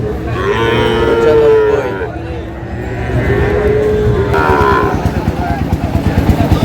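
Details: Sahiwal bull calves at the opening of Ambari market, Dinajpur, on 12 June: two drawn-out, nasal moos about a second apart, over a low rumble of traffic and voices.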